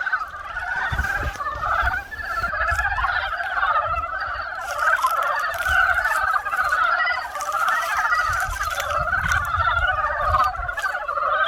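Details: Frogs croaking in spring: a dense, continuous chorus of many overlapping rattling croaks with no break, with occasional soft low thumps beneath.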